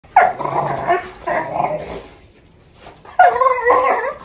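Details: Doberman, one year old, and a six-month-old German Shorthaired Pointer playing together; harmonic play growls and barks in two bursts, a pause, then another loud growling bark burst.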